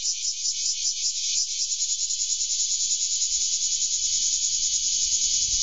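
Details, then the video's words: A bear cicada perched on a garden rose bush on 3 August 2012 sings a loud, steady, high-pitched buzz with a fast pulsing throb. "バラにとまってクマゼミが鳴く"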